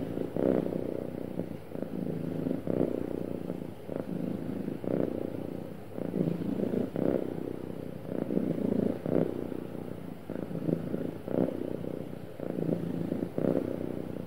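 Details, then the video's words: Sweet, happy cat giving a smooth continuous purr, a deep buzzing rumble that swells and ebbs with each breath about every second, calm and uninterrupted over the whole stretch. "Happy Cat Purring Smoothly"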